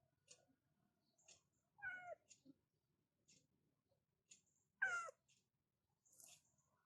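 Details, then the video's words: A cat meowing in a bedroom at morning waking time, two short wavering meows about three seconds apart, dipping in pitch, with soft clicks and quiet room noise between. "In the morning, I wake up in the bedroom with the sound of cats like this"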